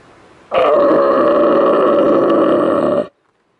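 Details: Young red deer stag roaring in New Zealand, come close to check out the recordist, who had not called him in: a single loud, sustained hoarse roar of about two and a half seconds, rich in harmonics, beginning abruptly and ending sharply.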